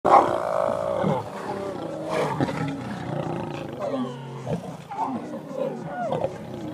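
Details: Two lions in a forest, giving a loud opening roar followed by rough growls and snarls with wavering, sliding tones, continuing in uneven bursts throughout.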